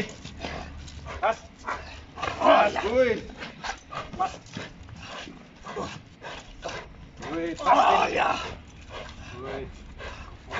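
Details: Working Giant Schnauzer Hektor during a bus scenario at Voodoo K9 Academy: two clusters of heavy barking several seconds apart, mixed with a handler's spoken commands and background clatter.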